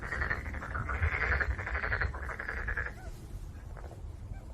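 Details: Black-spotted pond frog calling: a rapid, rattling series of pulsed croaks runs for about three seconds, then stops, leaving low background rumble.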